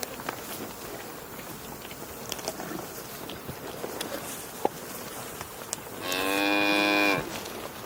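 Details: A single drawn-out cow moo of about a second, strongly harmonic and slightly falling at the end, arriving after several seconds of rustling, clicks and faint insect hum outdoors.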